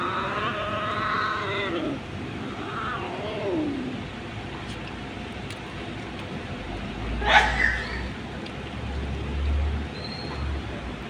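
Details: Hungry stray kittens found on the street, meowing for food while fighting over a single fish; long wavering meows in the first four seconds, then traffic-like rumble and scattered clatter.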